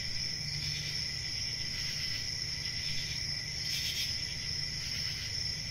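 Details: Steady high-pitched cricket chirping with one strong bright burst near the four-second mark, over a low humming background.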